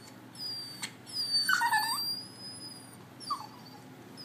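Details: Bichon Frise crying on the Fourth of July before fireworks: a brief, wavering, high whine in the middle, then a shorter whimper near the end, over faint room noise.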